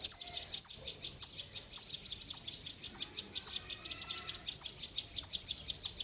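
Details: Loud squirrel chirping: sharp, high, clipped chirps repeated steadily about twice a second, each with a quick downward flick, over quiet background.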